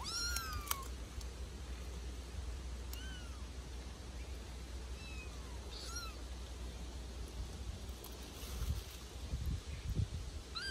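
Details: A litter of Bengal kittens at play in a back garden, giving a few thin, short mews, some faint, scattered over steady low background rumble and rustling.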